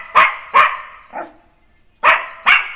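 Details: Jack Russell Terrier puppy named Neo, let out of his cage to run free in a home work area, playing; five sharp high barks in two pairs and a single, with a short gap of silence midway.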